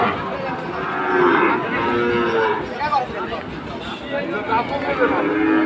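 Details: Sahiwal bull bought by a farmer in Chittagong on the second day of Eid, in the rain; several drawn-out, wavering moos rise and fall over a dense noisy background of rain-like hiss and crowd bustle.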